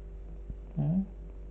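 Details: A female Scottish Fold kitten, white with pale grey ears and tail, happy and relaxing indoors, gives one short low murmured call lasting about a quarter second, rising then levelling, over a faint steady hum.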